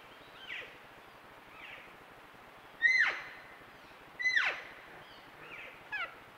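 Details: Elk calves talking with their mothers, cows and calves on a trail camera: soft chirps leading to two strong, high, whistled squeals that fall sharply, then quick lighter notes at the end.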